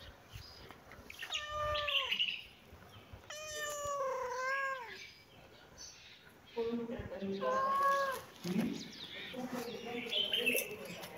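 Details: Cat meowing in a series of drawn-out, wavering calls, the second one long and slightly falling, then shorter, choppier mews, with low human voices murmuring underneath.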